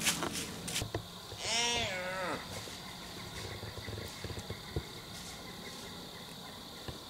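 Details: A doe in heat calls close below a tree, giving a single drawn-out, quavering bleat that rises and falls, followed by dry leaf crackling and scattered footsteps on the forest floor.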